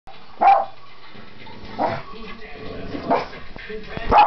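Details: Dog barking loudly in confusion and frustration at the television, three separate sharp barks spaced over four seconds, with quieter speech and household sounds between them.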